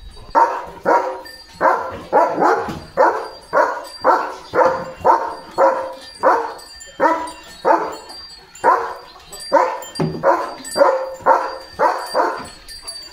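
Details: Leo the German Shepherd on a calm village morning, out roaming farm fields, gives a steady run of about twenty sharp barks in thirteen seconds, often doubled, roughly two each second, with no other sound competing.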